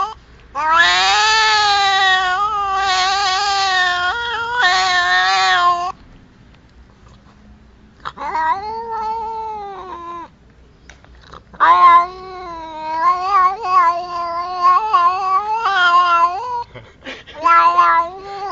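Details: Cat caterwauling in long, loud, drawn-out yowls that waver up and down, several wailing bouts separated by short pauses.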